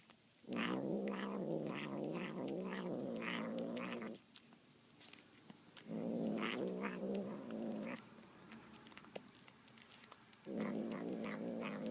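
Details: Domestic cat eating tuna, heard making demonic, grumbling noises: three loud, rasping, low growls of about two to four seconds, with wavering higher overtones, and chewing clicks in the gaps.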